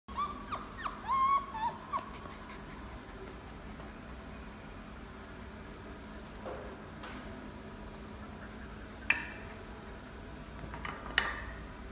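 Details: Dog in a pet shop giving a quick run of high, thin whimpering squeals in the opening two seconds, then falling quiet apart from faint room noise and a few soft clicks.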